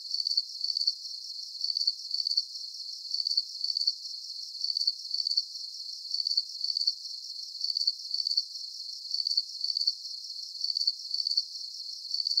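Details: A nighttime cricket chorus recorded for deep sleep: bright, high-pitched chirps grouped into brief pulsing bursts at a steady, even rhythm, with a faint background hiss and nothing else audible.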